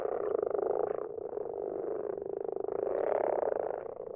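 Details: Garden pond at night full of common frogs: a loud, continuous low purring croak, fine rapid pulses throughout, rising slightly in strength after three seconds.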